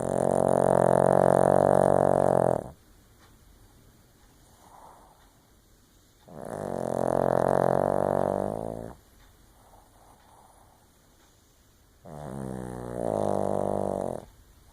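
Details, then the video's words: A Shih Tzu snores in its sleep, giving three long, deep, rattling snores of about two to three seconds each, spaced roughly every six seconds with soft breathing between them. "Shih Tzu Snoring"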